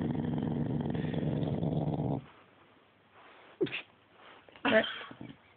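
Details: Sustained low, rough, rumbling dog vocalization for about two seconds, followed by brief human voice sounds and small knocks.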